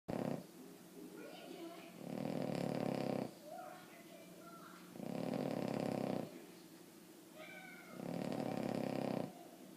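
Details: Boston Terrier named Emma Mae snoring loudly while asleep: long, rough, buzzy breaths lasting over a second each, roughly every three to four seconds, with soft human voices murmuring in the quiet gaps indoors.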